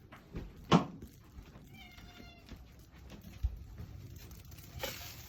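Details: American Shorthair cat, filmed on its fourth day, indoors; a faint, short harmonic meow sits among louder knocks and rustling, with a thud near the start.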